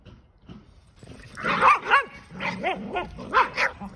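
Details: Boston Terrier trying to free a toy stuck in ice, then chased by a Keeshond: a string of short, rising-falling yips and barks in bursts, higher squeaky tones above, with some rustling.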